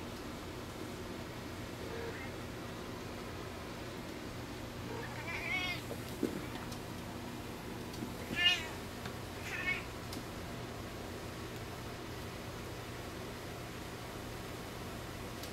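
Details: Two cats playing indoors: Khan, a two-month-old Lynx Point Ragdoll/Javanese kitten, and Toby, an adult Applehead Flamepoint Siamese rescue. Three brief high meows come a few seconds apart, with faint patter and room hum.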